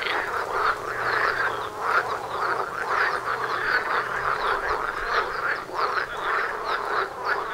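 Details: Frogs in a busy courtship chorus outside a house door; quick repeated croaks in bursts stack into a dense pulsing texture, with a faint low hum underneath.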